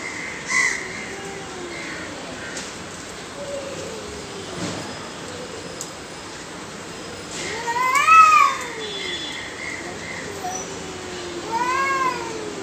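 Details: Aggressive pair of cats: a few soft, low meows early on, then two louder, sharply arched wails rising and falling, around eight and twelve seconds, over background hiss.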